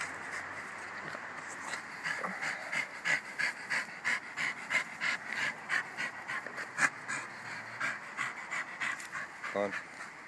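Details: Jack Russell Terrier named Bruno panting rhythmically, quick breathy puffs repeated about three times a second in a steady run, with a soft voice heard briefly and a short squeak near the end.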